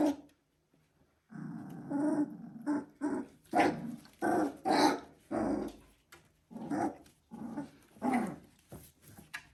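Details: Border Collie puppies at three weeks old, growling and whimpering indoors: after a quiet opening, a low rumbling growl runs under a string of short, harmonic yelps and whines of varying length through the rest.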